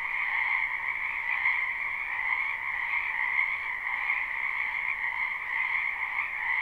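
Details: Wetland frogs in spring, a live recording: a constant, even drone of overlapping trilled calls at a high and a lower pitch, very steady in volume throughout, no other sounds standing out.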